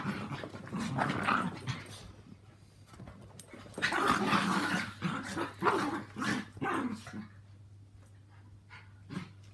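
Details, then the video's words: Living together at home, two Yorkies aged three and four and a two-year-old Maltese romp through a mad half hour of play; throaty growls and snarls come in quick bursts, rising to a loud flurry midway, then fading. "Yorkies and Maltese Dog Playtime"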